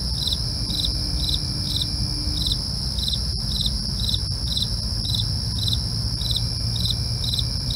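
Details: Evening chorus of crickets after dark, brief pulsed chirps recurring about every half second, backed by a sustained high-pitched insect hum, a couple of sharp clicks and a low murmur.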